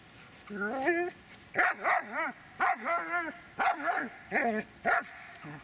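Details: Dobermann named Magmar Von Der Burgstätte giving a run of loud vocalisations: rising, wavering whines that bend up and down, then short barks and yelps spaced roughly a second apart, with faint music behind.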